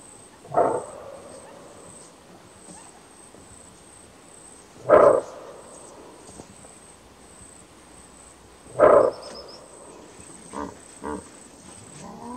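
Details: Greater kudu giving its characteristic bark alarm call in Kruger National Park: three loud, short, hoarse barks spaced about four seconds apart, followed by a few fainter sounds against a quiet background with a steady high hiss.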